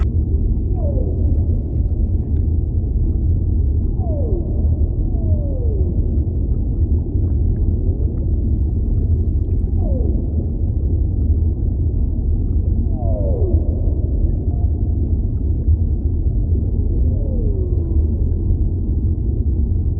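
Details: Whale voice over a heavy low underwater roar, with short downward-sliding whistled sweeps repeated every few seconds, about seven in all, some paired, plus a few faint higher tones.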